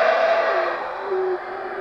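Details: Howler monkeys at the Lamanai Mayan Ruins site in Belize: a loud, broad, rasping roar with a steady tonal hum that steps down in pitch halfway through, then carries on more softly.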